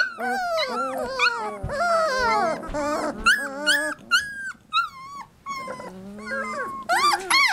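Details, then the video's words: Three-week-old Labrador Retriever puppies in a litter cry out in a cacophony of overlapping high, wavering whines and squeals with brief pauses, while a person speaks softly among them. "Puppy Cacophony"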